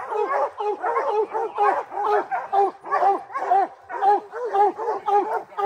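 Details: At three months old, puppy Rocky bays a treed black bear, his first; short musical bawls with a rising-falling ring come about twice per second in an unbroken run.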